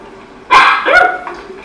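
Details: A dog in a training session on barking on command and staying quiet gives a single sharp bark, followed by a shorter second bark.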